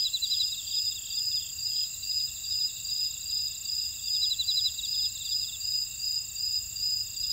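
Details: Insects chorusing in a buckwheat field in Ora-dong, Jeju City, Jeju Island, South Korea: steady high shrill bands overlaid with fast pulsed trills and short chirps repeated about twice a second, with no other clear sounds.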